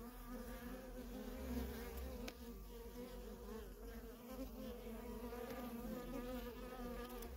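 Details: Continuous low hum of worker honey bees at a feral colony in nonstop flight traffic, individual passes briefly swelling over the steady buzzing mass, one sharp click near the second mark.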